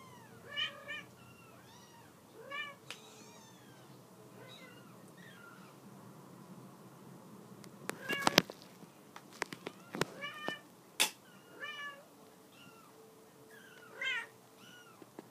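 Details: Mother cat calling her kittens to get off a couch, shelter cats of the Halifax Humane Society; several short high arched meows scattered through, with clicks and knocks in the middle and quiet room hum.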